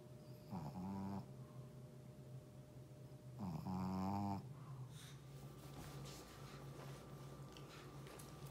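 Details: Sleeping Shih Tzu indoors giving two raspy, buzzing snores about three seconds apart, followed by quiet rustling and low room hum.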